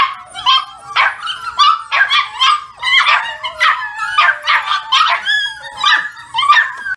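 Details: Several older foster puppies acting as a morning alarm clock, giving rapid, irregular high yips and sharp little barks, roughly two per second, with whiny tails between them.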